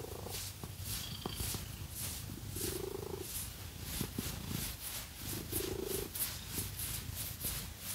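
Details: Purring cat enjoying a scratch massage with fake nails; steady low buzzing rumble, with two longer humming swells, accompanied by quick, sharp scratching strokes across its coat.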